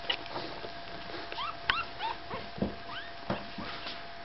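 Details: Five-day-old Staffordshire Bull Terrier puppies give a run of thin, high squeaks and whimpers, each sliding upward, repeated irregularly about every second, over steady low background hum.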